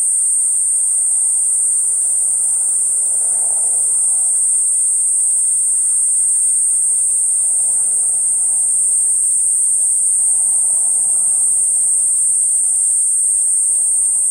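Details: Unwavering high-pitched drone from a Platypleura kuroiwae cicada runs uninterrupted from start to finish. Faint low rumbling sits well beneath it.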